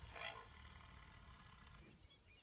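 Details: Rhinoceros call, not the sound expected for this animal: a short, harsh, bright burst near the start with strong upper tones, then a rough, noisy low rumble that slowly fades.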